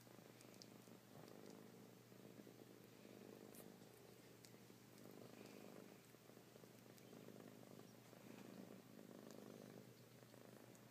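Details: Kittens purring steadily, a low rumbling pulse that swells and fades in soft waves throughout, with a faint constant hum underneath and a few light clicks.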